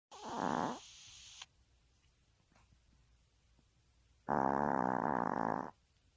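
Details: Pet Maltese dog snoring indoors: two rasping, buzzy breaths, a short one near the start and a longer, louder one about four seconds later, with quiet room hiss between.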